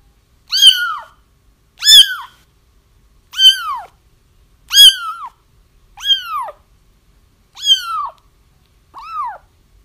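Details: Loud, steady kitten crying meant to help trap a feral mother: seven urgent mews about every 1.3 seconds, each starting sharp and sliding downward, the last one softer and shorter, against a silent room.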